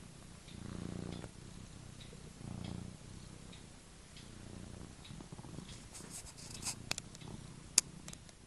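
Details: A pet cat sleeping and dreaming snores with low, rasping breaths that rise and fall roughly every one and a half seconds. Soft room hush fills the gaps, and a few faint clicks sound near the end.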